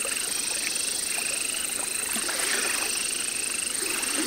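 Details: At the Parc Zoologique de Paris in September 2014, captive Baron's mantella from Madagascar gives short runs of quick high clicks forming brief buzzy trills, partly masked by loud steady hiss and a high hum.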